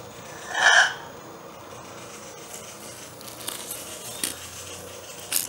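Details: A gray fox (Urocyon cinereoargenteus) met on a morning walk at Alpine Creek on 29 June 2017 gives a single short, hoarse yelp, followed by near silence with a few faint clicks.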